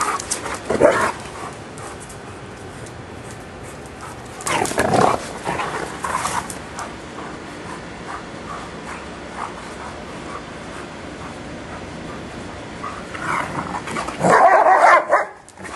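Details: Giant Schnauzers at play in a backyard on a hot afternoon: loud, harsh bursts of barking near the start, around five to six seconds, and again at the end, with long stretches of quiet outdoor background noise between.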